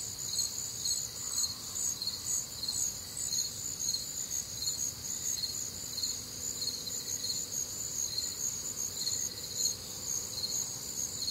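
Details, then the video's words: Night chorus of crickets recorded on a warm, humid Midwestern summer night, alongside other nocturnal sounds: constant high trilling chirps in parallel bands, evenly pulsed, over a quiet low background. "Night Time Cricket Sounds"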